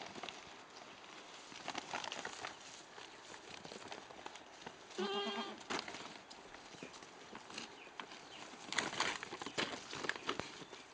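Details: Goat named Daisy, a herd's lead goat, investigating and playing with an empty bag: one quavering, tremulous bleat about midway, set among steady crinkling and rustling of the bag throughout.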